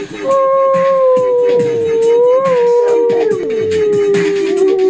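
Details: Dog howling along to a techno track: a steady, drawn-out howl that slowly sinks in pitch over nearly five seconds, over loud pulsing electronic music.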